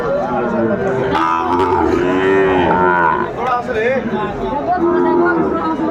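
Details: Sahiwal bull calves at a cattle market where a Dhaka farmer buys cattle, 20 December 2024; a drawn-out, steady lowing call amid other bellows, with loud crowd chatter and bargaining voices throughout.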